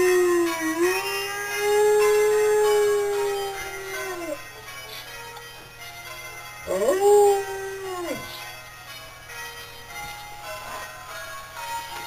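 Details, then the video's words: Pet dog howling at the local church bells one evening: a long sustained tone holding level for about four seconds, then falling, followed by a second rising-and-falling howl and quieter trailing notes. "Jed Howling"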